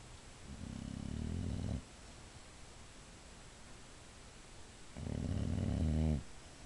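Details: Sleeping female Boxer snoring loudly indoors, two deep rasping snores over a second long each, rough and throaty with rattling upper tones, quiet pauses between.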